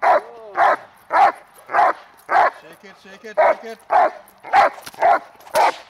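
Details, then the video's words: A dog in protection work practising the hold and bark, May 19, 2020, gives loud, evenly spaced barks nearly two per second, with a person's brief spoken words squeezed into one gap. "Working On The Hold & Bark and Outs (Protection)"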